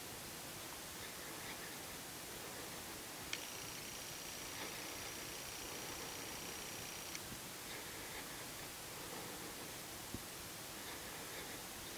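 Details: Steady hiss of static with a faint electronic tone held for about four seconds; no animal voice is heard.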